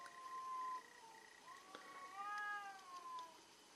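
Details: Fighting cats caterwauling: long, sustained, wavering howls that rise and sag in pitch, one tone overlapping another, with a faint steady high hum underneath.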